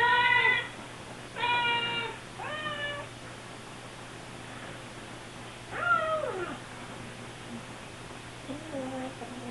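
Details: Siamese kittens begging for food when the fridge opens, two hours after their last feeding; separate clear meows, a few in quick succession early, then a drawn-out falling cry and softer lower mews near the end, quieter background between.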